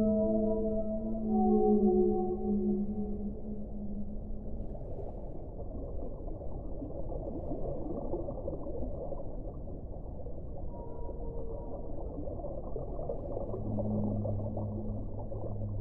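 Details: Whale moans with rich layered harmonics open loudly, sliding and wavering, then give way to steady underwater hiss before a deep held moan returns near the end.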